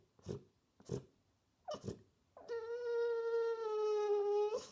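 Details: French Bulldog seeking attention indoors: three short snuffling huffs, then a long steady high whine held about two seconds, slightly falling at the end.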